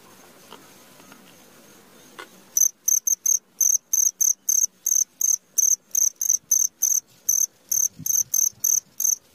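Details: Cricket at midnight starting up after two seconds of near silence, then steady high, shrill chirp pulses repeating roughly three times a second until the end.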